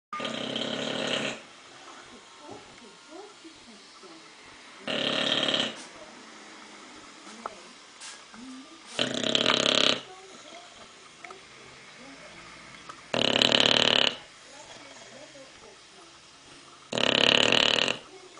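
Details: An English Bulldog with sleep apnea snores loudly, giving a harsh, rattling snort roughly every four seconds.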